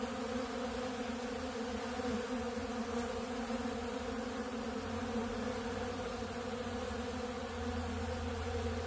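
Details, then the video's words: A dense, constant hum rises from honeybees feeding on ultra bee pollen at a big blue pollen feeder, several low droning tones holding steady throughout. "Therapeutic Treatment Sounds Of The Honeybees"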